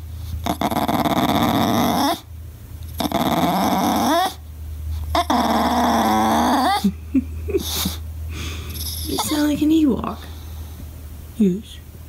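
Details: Pet English Bulldog protesting at not being played with, sounding like an Ewok: three drawn-out, rough grumbling moans of about two seconds each, followed by human voices and brief whines.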